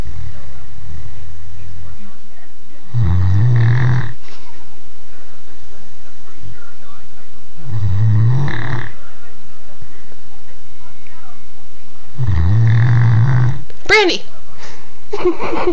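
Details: A 3-year-old Great Dane snores in deep, rumbling breaths repeated every four to five seconds.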